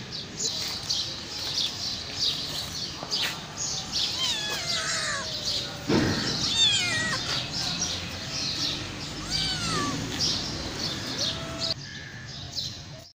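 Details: Hungry homeless mother cat crying near her five kittens before being fed; short meows and higher squeaky mews scattered through steady background noise, with a brief low thump around the middle.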